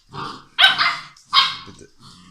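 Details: Playing English Mastiff puppies aged six weeks give two harsh, rough-edged barks about three-quarters of a second apart, framed by softer growly grumbles.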